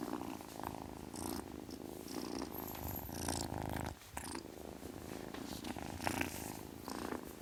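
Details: Continuous low throbbing purr from a kitten with fine rapid pulses, a short pause near 4 seconds, and scattered soft airy bursts that may be hissing.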